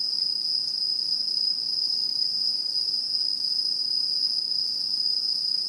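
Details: Insect chorus of autumn in Japanese satoyama countryside, recorded 2016: one bright, unbroken high-pitched ringing trill held evenly throughout, with a fainter higher band above it and soft rustling noise underneath.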